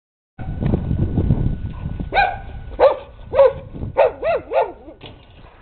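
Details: Dog barking excitedly, said to be inspired by swimmers' turns: low rumbling noise first, then a run of short arched barks and yips, about seven in three seconds, over a steady background hum.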